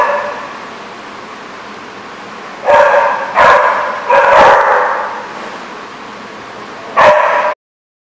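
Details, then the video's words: Dog barking at The Barking Lot on 23 May 2014, a quick burst of three barks followed by a longer drawn-out bark, then one more sharp bark after a pause, over a faint constant hum. "The Barking Lot"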